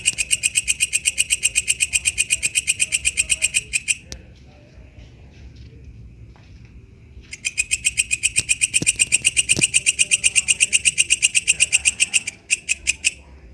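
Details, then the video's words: Katydid known locally as walang kecek, singing in the wild: rapid regular buzzy pulses, about four per second, stop for roughly three seconds and then resume, with a brief second pause near the end. "suara asli walang kecek dialam liar"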